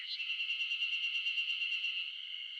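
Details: Ezo spring cicadas (Terpnosia nigricosta) in a loud wild chorus in the Shinetsu highlands of Japan in mid-June, loud enough to drown out birdsong. A continuous shrill, high drone with a fine pulsing texture holds steady throughout.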